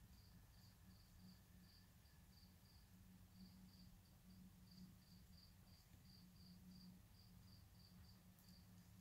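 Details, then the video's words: Several spring peepers in a swamp give a continuous chorus of brief, high-pitched peeps, several a second, over a dense low hum with a softer steady tone beneath. "Spring Peepers"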